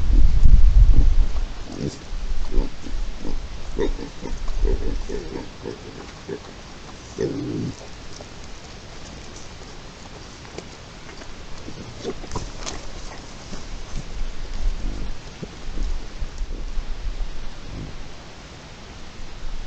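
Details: Sounder of wild boar in Spain, recorded 11-08-23: deep low grunts in short bursts, loudest in the opening seconds and again near the middle, over a steady rumbling background.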